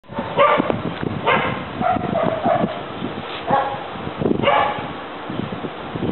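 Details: German Shepherd, a four-year-old male, in criminal apprehension training in Trinidad, confronting a decoy beside his handler: loud harsh barks in bursts roughly every second, with scuffling noise.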